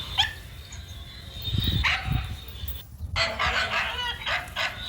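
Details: Male dog barking while running: a scattered rough bark early on, then a quick cluster of harsh, noisy barks after a brief silence, over a constant low rumble and a thin, steady high tone.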